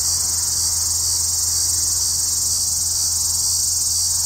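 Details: Steady, piercing electric buzz of a Hadoa duryi cicada, hidden in dense juniper south of Walsenburg, Colorado, early afternoon on July 2, 2012, under newly overcast skies; the trill holds constant throughout over a soft low hum.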